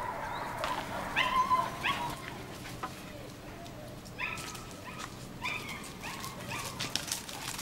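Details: German Shepherd puppies from a litter of two males and four females born 27 July 2014, sired by Eros v.d.Romerau out of Iska v.Muikenshof; short high yips and whines come in scattered bursts over a steady background hiss.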